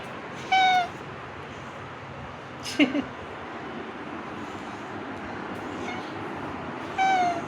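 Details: Pet cat in a home, two clear falling meows about six seconds apart with a brief higher squeak between, over a quiet hum while a woman talks to it about eating.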